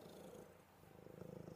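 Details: Buddy, a pet cat, purring steadily while cuddling before going to sleep; a low, even, rumbling purr with fine rapid pulses that swells slightly toward the end.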